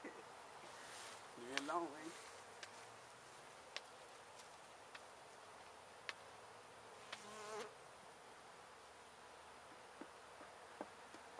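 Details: Honey bees from a gentle hive lodged in a house window in Edinburg, Texas, during a hive removal: a steady, dense hum fills the background throughout, with brief human voices near two and seven seconds.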